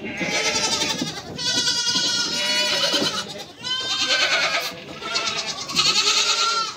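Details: Kids and a mother goat bleat almost without stopping: strained, vibrating cries, each lasting one to two seconds, come one after another with barely a pause.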